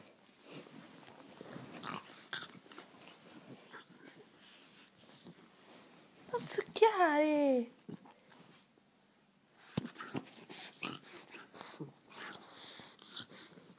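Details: Tecla, a pregnant dog, being cuddled indoors; a single bent, falling whine of about one second with stacked harmonics, set among soft rustling, clicking and quiet human speech in a small room.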